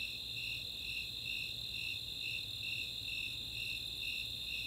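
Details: Nighttime summer chorus in Boulder, Colorado's Chautauqua open space: Snowy Tree Crickets pulsing high chirps about twice a second while Four-spotted Tree Crickets keep a constant ringing trill beneath.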